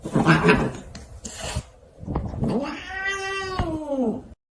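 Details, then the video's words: Cats fighting: a harsh, noisy burst and short scuffling sounds open, then a long, drawn-out moaning yowl with rich harmonics that wavers and slides downward in pitch before stopping abruptly. "funny cats fighting"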